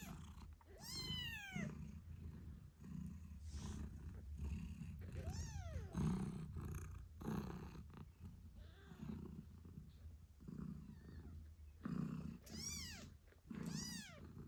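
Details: British Shorthair mother cat named Moon Stone purring loudly while nursing her 8-day-old kittens; high thin kitten meows arch down in pitch in short bursts over her steady low rumbling purr, no music.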